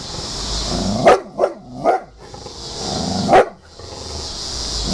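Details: Large bulldog barking in agitation at a picture, a few short gruff barks, three grouped near the start and one more a second later, over steady background hiss.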